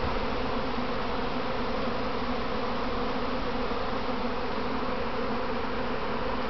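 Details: Practice swarm of domestic honey bees settling on their hive box; an unbroken, even, low-pitched humming roar of many bees throughout.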